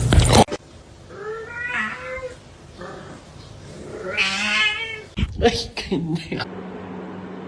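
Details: Domestic kitten meowing indoors: two drawn-out, wavering meows with rich harmonics, the second louder and more strained, followed by sharp clattering knocks and a low hum.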